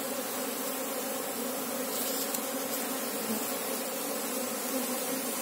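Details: Massed wingbeat drone of an Asian honey bee colony, Apis cerana, during a queen search; a bright, steady buzz that stays level, with a faint rustle around the second second.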